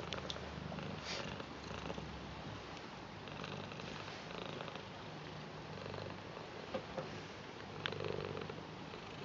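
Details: Purring blue British Shorthair cat greeting its grandad lovingly, an even, droning low purr running the whole time, with faint rustles and small clicks over it.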